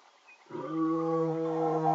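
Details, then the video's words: Male lion calling in the early morning, one of two males; a single deep, sustained harmonic roar swelling in from near silence and holding steady to the end. "Lions Call"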